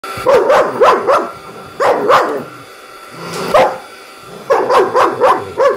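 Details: Two dogs, a German Shepherd and a Wauzer, that hate hoovers, barking at a mini vacuum cleaner: sharp, loud barks in rapid clusters of three or four, a pause of about a second, then more rapid bursts.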